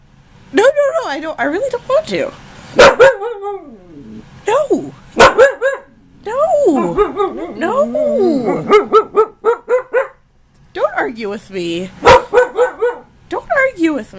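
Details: Indoor husky, a female nearly one year old, talking back in a heated argument: long runs of yodelling, warbling woo-woo sounds that bend up and down, broken by short pauses, with the owner's voice cutting in.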